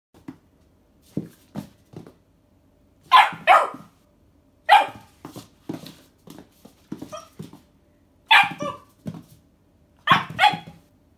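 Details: A dog barking at a pig rubber toy gives sharp, loud barks in irregular bursts, with softer huffs and small noises between them.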